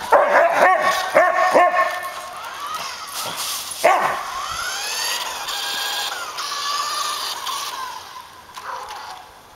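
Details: Suka, a pet Samoyed, chasing a remote-controlled car for exercise: a quick burst of four sharp, harmonic barks, then a higher rising yelp near four seconds, with the toy car's motor whirring behind.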